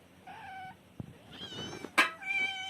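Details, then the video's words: Cats and kittens meowing in a compilation: a short steady meow, a tap, then louder rising and falling meows with a sharp burst near the end, indoors. "Funny Cats and Kittens Meowing Sound Effects"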